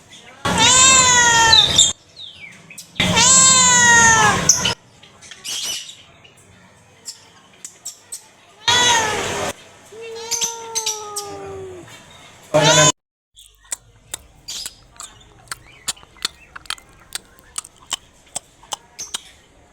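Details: Cat meowing loudly: two long, strained, drawn-out meows, then a shorter falling meow, followed by a string of sharp clicks and taps in an otherwise quiet room.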